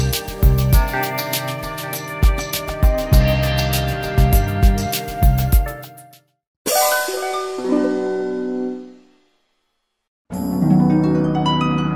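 Upbeat instrumental music with percussion and chimes plays, broken by brief silences, with no animal sounds.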